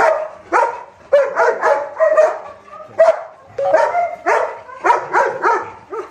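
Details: Saint Bernard puppy giving a run of short, harmonic yelping barks in quick bursts, roughly two to three per second with brief pauses, each bark rising then falling in pitch.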